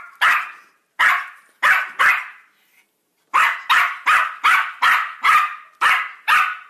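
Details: Yorkshire Terrier barking insistently, a run of loud, sharp barks roughly every half second with one short pause, each bark bright and slightly rasping.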